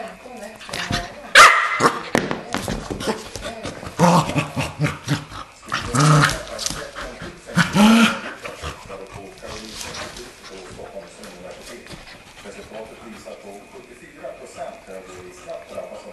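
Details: Keeshond dogs Charlie and Fiffi at home: loud, sharp barks burst out singly near 1.5, 4, 6 and 8 seconds, then stop, with people talking throughout and carrying on after the barking ends.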